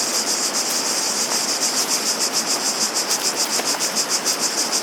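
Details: Cicadas singing in a dense, high, hissing chorus that pulses about three times per second, with a steady rush of water underneath.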